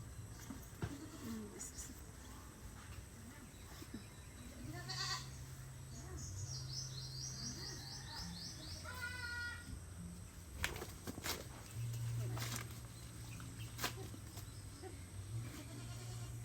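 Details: Goat calling its owner in excitement shortly before slaughter; a few faint, harmonic bleats rise out of steady low hum around five and nine seconds, with scattered clicks and knocks and a person talking nearby.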